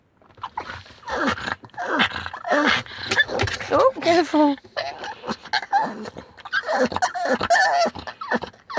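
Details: Pug, very excited on getting home, screaming: high, wavering, whiny cries in rapid bursts that bend up and down in pitch, continuing almost without pause, with laughter and a person talking to it.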